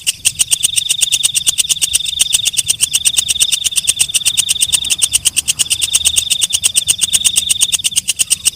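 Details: Walang kecek, a night-calling katydid: a continuous shrill buzz punctuated throughout by quick, regular clicking pulses, about three per second, holding an even rhythm with no other sounds.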